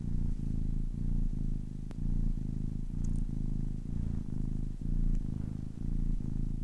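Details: Deep, rhythmic purring of a 10-week-old kitten, the low rumble swelling and pausing about once a second in steady breath cycles, with a faint tick or two.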